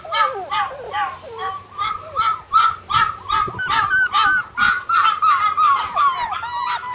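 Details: A litter of flat-coated retriever puppies, brother and sister, whining in overlapping high squeaky cries, rapid and urgent, roughly two to three each second, with a faint thump in the middle.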